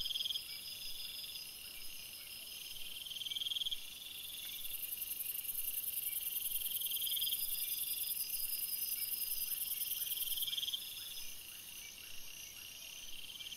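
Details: Crickets in a forest at night, a steady chorus of high, rapid trills, joined midway by a very high sustained hiss-like trill for several seconds that then stops.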